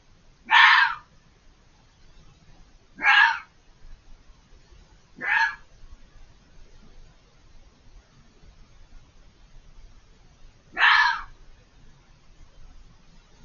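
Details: Fox screaming unseen on the other side of a hedge, very vocal: four loud, harsh, rasping screams spaced about two to five seconds apart over a quiet background with faint low rumble.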